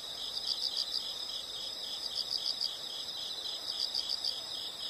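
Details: High, faint insect chirps come in groups of about five quick pulses, each group roughly every one and a half seconds, over a soft hiss of background noise.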